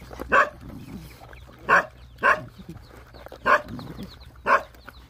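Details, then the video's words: Rottweiler dogs, hungry, with puppies nursing: five brief, sharp yelps spaced about a second apart, with soft low murmurs between them. "Dogs Hungry"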